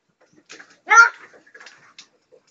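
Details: A pug named Bella gives one short, shrill, strained scream while begging for her portion of her owners' dinner, something she does every night.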